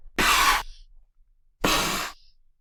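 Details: A domestic cat spits twice as a defensive warning. Each spit is a sudden, explosive, broadband burst of hissing about half a second long, shorter than a hiss. The second spit has a darker noise colour than the first.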